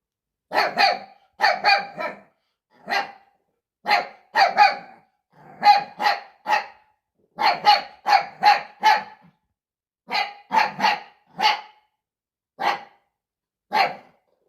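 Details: Barks of a puppy reacting to his own reflection: steady stream of high, piercing yaps grouped in bursts of two to four, continuing throughout with brief pauses.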